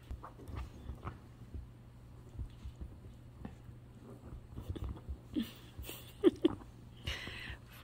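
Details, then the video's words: German Shepherd and Chihuahua play-fighting roughly together: short, scattered low growls and brief whining sounds with snuffling breaths, quiet at first and building to louder, sharper bursts toward the end. "How German Shepherd & Chihuahua play, soo cute but rough!"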